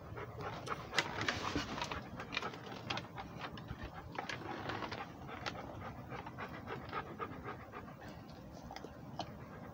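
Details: Rhodesian Ridgeback on a walk, fast breathy panting in quick even pulses, about four per second, louder and harsher in the first seconds, then settling into a steady rhythm.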